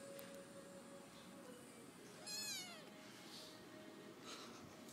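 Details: Four-week-old male street kitten, abandoned by his mother and found at two weeks old with cat flu and feline herpes, gives a single wavering, slightly falling meow lasting under a second, over a faint steady background tone.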